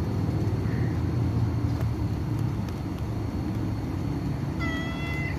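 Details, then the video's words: Kitten, one of Black Mama's three babies and the one with the smallest eye, suffering diarrhea and losing weight, being fed tuna broth and glucose water; a single high, slightly wavering meow near the end over a constant low rumbling hum. "Kitten is having diarrhea"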